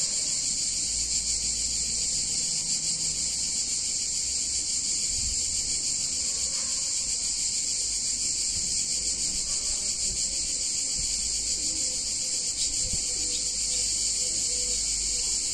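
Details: Cicadas on a hot summer day in a picturesque Italian town keep up a constant, piercing, sizzling drone for the whole stretch, with scattered soft low knocks and rumbles in the background.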